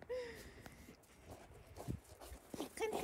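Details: Dogs excitedly reunited with Nala after a month apart: a high, whining whimper falling slightly at the start, more brief whines near the end, with soft shuffling and thumps between.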